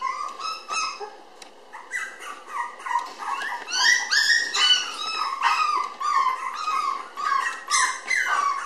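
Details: Tiny red Toy Poodle girl, born May 20 and recorded June 30 at 700 g, gives rapid high-pitched whimpers and yips, several per second, each a short rising-then-falling squeal, continuing without pause in a small room.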